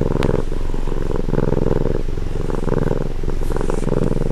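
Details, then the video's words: Cat purring, recorded at close range: a steady, low, pulsing rumble that shifts between breath phases roughly every half second to one second and continues unbroken throughout, with no other clear sounds. "ネコのコゴロゴロ音 近距離録音！"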